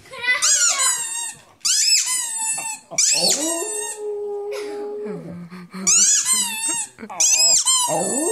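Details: Dog named Rudi gives shrill, quavering high yowls that slide down into a sustained, flat, lower howl, then rise again into piercing yelping bursts.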